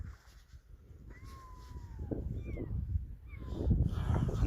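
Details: Orphaned kitten that has lost its mother gives three thin, tonal mews: one long, slowly falling cry, then two short rising-and-falling calls. Low rustling handling noise and murmured human voices run underneath.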